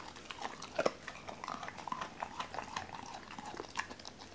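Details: Doberman named Cola chewing raw chicken indoors, a bird first given whole and later cut at the joints; quick moist smacks and crunches of bone, uneven in rhythm, in a quiet room.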